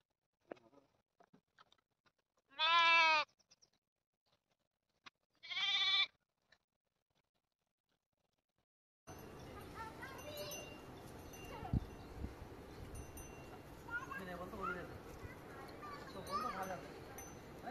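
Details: Goat giving two loud, harmonic, wavering bleats about three seconds apart, followed by a long stretch of steady broadband noise with faint scattered sounds.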